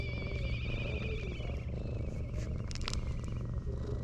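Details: Ginger tabby cat pushing a rival cat aside to keep a person to itself, seeking affection; a steady low rumbling purr runs throughout, with faint high whistled notes and brief clicks above it.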